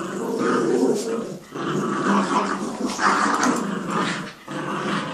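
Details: Jack Russell and Yorkie play tug of war, producing dense, rumbling growls that hold nearly unbroken for five seconds, swelling and easing with each tug, one brief dip near the end.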